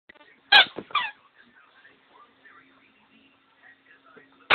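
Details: Grumpy Dobermann just woken from a nap gives two short, voiced, harmonic grumbles in quick succession near the start. Faint murmurs follow, and a person's voice breaks in loudly at the end.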